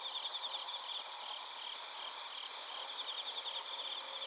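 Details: Crickets and bell crickets recorded in Narita, Chiba Prefecture, Japan, on a TASCAM Portacapture X8: dense overlapping chorus of high, steady trilling and pulsed chirps, with rhythmic bursts of ringing notes over a continuous shimmering drone.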